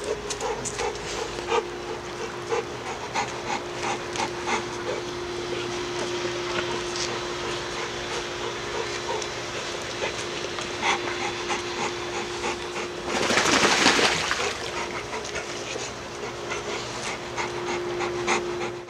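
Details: Several American Bully dogs from one pack playing together in the morning; fast rhythmic panting, roughly three breaths a second throughout, over a steady electrical hum, with a brief burst of rustling noise midway.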